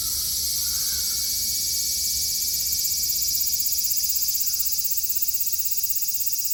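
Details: Cicadas singing in Japan in summer 2022, a dense, high, continuous shrill drone with a fast pulsing rhythm of about four beats per second, steady throughout with no other clear sounds.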